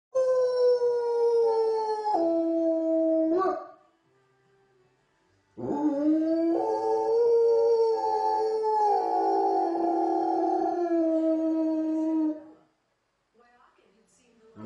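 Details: Czechoslovakian wolfdog howling at wolves: long, drawn-out tonal howls with rich harmonics, the first stepping down in pitch, then a pause of nearly two seconds before a longer howl wavers and rises slightly before fading.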